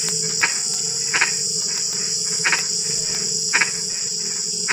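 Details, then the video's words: A frog croaks at night while drizzling rain falls: single rough, clipped notes spaced about a second apart, partly masked by a dense, unbroken high cricket trill. "SUARA KODOK HUJAN GERIMIS"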